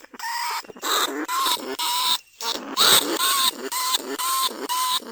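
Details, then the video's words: Caged lesser bandicoot rat recorded live at Na Lao, Nong Khu Phai, a rice-field pest, calling to other rats: a series of sharp, harmonic squeaks with short gaps. Several calls bend upward at the end. The sound is used to lure rats from burrows. "ต้นฉบับเสียงต่อหนูพุกใหม่ล่าสุด หนูอีตั้นชุดที่2 ร้องเรียกหนูในกรงเพล็กดักหนู"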